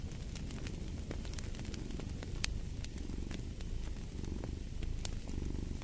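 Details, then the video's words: Domestic cat purring, a steady low rumble with a rhythmic pulse, heard under sharp crackles and pops from a burning fireplace. "Fall asleep to the Purring of a Cat & Fireplace"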